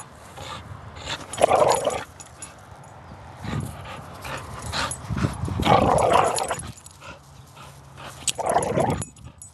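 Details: Female pit bull, aged five, growling during a game of tug of war in early July, which is play, not aggression; three rasping, gravelly bursts rise and fall several seconds apart over low rustling and tugging noise.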